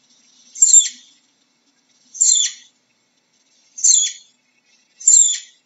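A flying squirrel gives high, thin chirps, each a brief noisy sweep, repeated about every second and a half.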